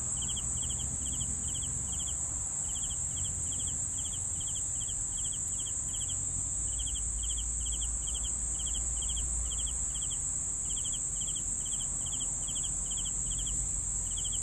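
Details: Long run of cricket chirps, short pulsed bursts repeated about twice a second with brief pauses, accompanied throughout by a sustained shrill insect drone and low background hum.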